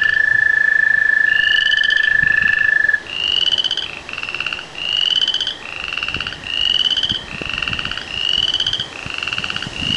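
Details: Frogs and tree frogs chorusing ahead of rain; a steady high tone fades after three seconds, then rapid pulsed rising trills follow one after another, about four per second.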